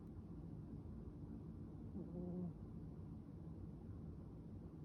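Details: Small, soft snore from a cat sleeping face-down in the 'apology' pose amid crinkly material: one brief low droning note lasting about half a second near the middle, over a quiet steady hiss.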